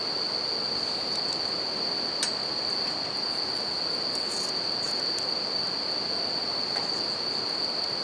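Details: Bell crickets singing beside a campfire and river in Japan: a steady, unbroken high ringing tone runs throughout over a broad rushing of river water, with sharp crackles and pops from the burning fire.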